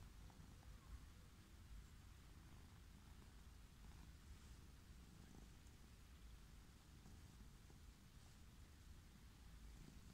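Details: Steady low rumbling purr from a wild orange tabby cat, delighted at being stroked as it lies out on a lawn; the continuous throaty vibration holds evenly for about ten seconds, with faint rustles.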